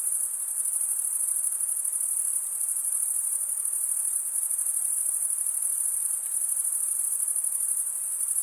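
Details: A chorus of stridulating crickets, the wings scraped together like a comb, pours out a continuous piercing trill of quick pulses, holding a constant level with no breaks and no other animals audible.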